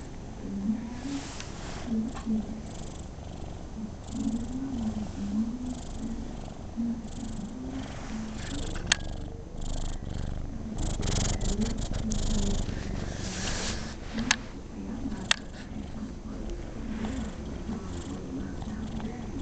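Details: Rocco, a pet cat, purring contentedly while being patted; the low rumble pulses steadily, with faint voiced tones above it, some rustling and a few sharp clicks midway.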